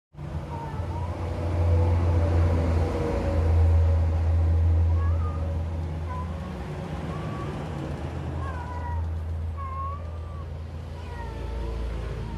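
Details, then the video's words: Pet cat, its owner puzzled by the sounds and movements it is making, gives a run of short tonal meows, some rising and some falling, strongest in the second half, over a steady low engine-like rumble. "my fushikit 😱😱😱 making sound"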